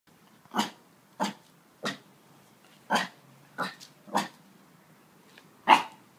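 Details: Eight-week-old Siberian Husky puppy learning to bark: seven short, soft, breathy yaps spaced roughly every half second to a second, quiet between them.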